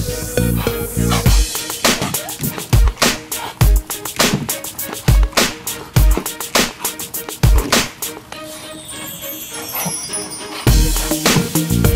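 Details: Loud music with a heavy, steady beat and sharp percussive hits fills the whole stretch, with a brief quieter passage near the end and no animal voice.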